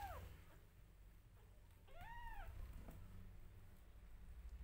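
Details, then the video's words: Newborn kittens crying out as their mother grooms them. A single clear, arched mew with stacked harmonics, plus the tail of another at the start, over a steady low hum and soft rustling. "Newborn Adorably Cute Kittens Meowing Loudly When Their Mother Groom Them"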